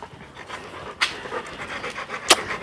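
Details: A Labrador dog panting fast and steadily in breathy, noisy puffs, broken by a couple of sharp knocks.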